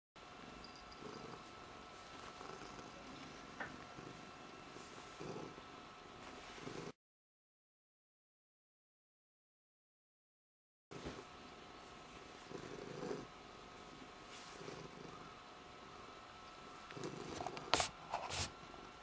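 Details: Indy, a pet cat, purrs while being "hypnotised": soft rhythmic pulsing rising and falling in steady breaths. A few seconds of silence break it midway, a faint steady tone runs beneath, and a brief sharp click comes near the end.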